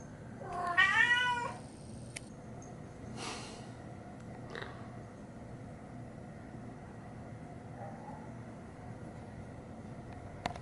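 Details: A cat gives a single drawn-out meow lasting about a second, rising then falling with a clear harmonic tone, followed by near silence with a few faint clicks and soft background rustle.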